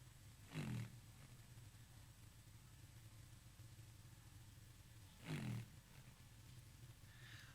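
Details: Fin whale calls sped up two times to be audible: two short, deep, downward-sweeping pulses about five seconds apart.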